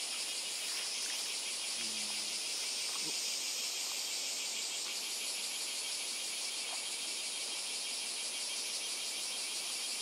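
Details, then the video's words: Insect chorus on Miyako Island, Japan: a bright, shrill wall of fast pulsed trilling, whose highest voice rises in pitch halfway through, with a short low hum near two seconds. "昆虫たち insects bugs"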